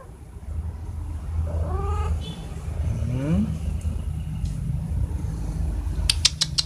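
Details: Cats at feeding time in the morning: two or three drawn-out meows, one falling and one rising then falling, over a steady low rumble, followed by a few sharp clicks at the end.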